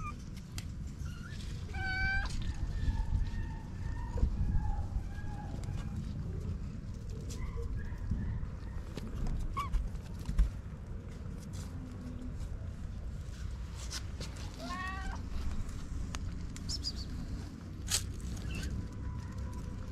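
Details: Homeless kittens, four of them, beside their white mother cat: a few high descending meows early and mid-way, separated by quieter faint mews and soft thumps, with a steady low rumble throughout.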